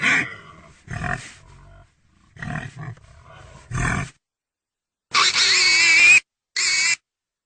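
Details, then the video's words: Pig giving a few low rasping grunts, then two loud, shrill squeals, the first lasting about a second, with quiet gaps in between. "real pigy sound effect"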